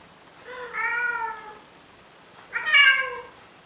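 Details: Courting male cat in Athens, Greece, begging a female Siamese to mate, gives two long harmonic meows, the first gently falling and sustained, the second sharper, louder and rising at onset, with quiet room background.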